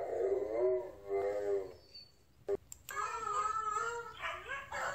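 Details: Blue Bay Shepherd, a female, urged on by a person; drawn-out wavering howl-like vocal notes, two early tones then a longer rising and falling stretch, with a short clatter and a brief break between.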